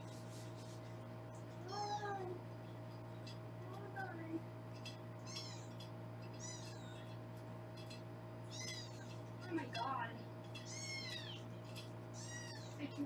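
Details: Several foster kittens being weighed indoors in Los Angeles mew repeatedly, high thin mews arriving every second or two, some rising then falling, over a steady low hum and faint handling noises.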